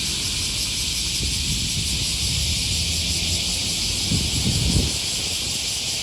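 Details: Morning cicada chorus by the Okawa River, Osaka, Japan, August 2020, near Sakuranomiya Park: constant high, hissing buzz holding level throughout, while low rustles and footsteps come and go, louder near the end.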